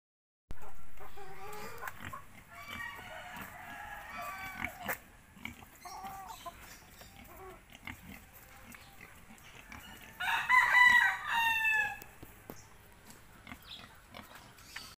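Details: Two-month-old native piglets: strained, harmonic squealing cries early on, then a louder, shrill, wavering squeal burst about two-thirds through, with soft grunting and rustling between.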